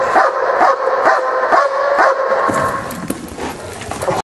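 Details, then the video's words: Dog performing a bark and hold, giving strong repeated barks about twice a second that become rougher and less distinct in the second half, with a noisy background. "bark & hold"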